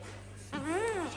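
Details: Domestic cat, a mother with her kittens, in a house shared with many pets: one clear meow lasting about half a second, rising then falling in pitch, over a steady low electrical hum, with quiet speech nearby.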